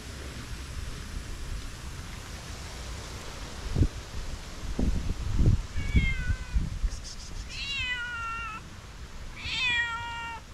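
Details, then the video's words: Domestic cat refusing its food while another cat eats, meowing with displeasure: three drawn-out, harmonic meows in the final five seconds, each sliding downward in pitch, over low rumbling room noise and a few thumps. "2nd cat doesn’t even look to food and meows with displeasure"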